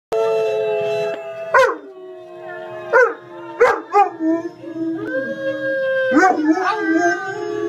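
A German Shepherd howls in long, sustained wolf-like tones broken by sharp yips.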